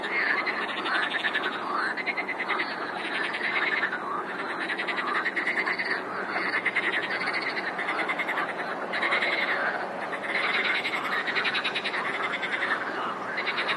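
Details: Many frogs calling together in a continuous chorus, rapid rattling pulse trains overlapping almost without pause, with louder surges every few seconds.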